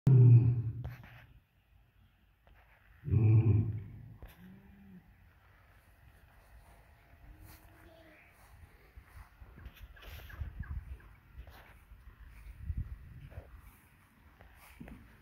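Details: An African lion at a lion breeding farm gives two deep, rumbling roars a few seconds apart, then goes quiet.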